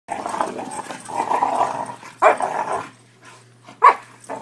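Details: Two Newfoundland-Labrador mix puppies, brothers from the same litter about 5 months old, growl and yip in play, with two sharp barks breaking through.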